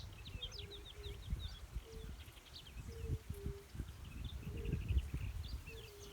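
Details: In late spring, among reed beds in an ochre cattail marsh, several yellow-bellied toads give soft, low, hollow 'oom' ('kuum') notes, overlapping every second or so. Small birds twitter high above, over a low rumble of wind.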